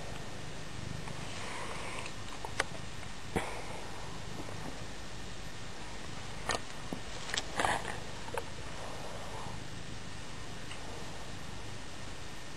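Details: Scruff, a female pet cat, purring while she enjoys being petted: a steady low rumbling purr throughout, with a few sharp clicks and rustles.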